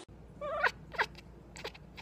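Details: A cat gives one drawn-out, tonal meow that rises then falls, followed by a shorter sharper second cry, with people talking quietly in a room around it.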